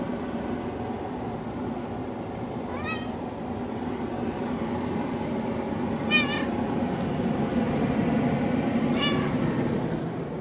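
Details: A pet cat named Haley meows repeatedly, apparently wanting something such as food, water or a toy; three rising-falling harmonic meows about three seconds apart over steady low background hum.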